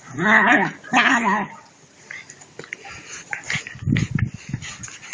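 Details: German Shepherd puppies at play: two drawn-out whining, wavering growls in the first second and a half, then softer scuffling and short low grunts as the puppies tussle.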